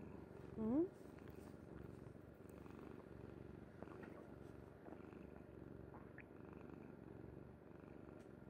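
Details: Kuri, a pet cat, dozes on a mother's bed and purrs in a continuous low vibrating drone; a short rising voice-like sound near the start, then soft rustles over the even purring.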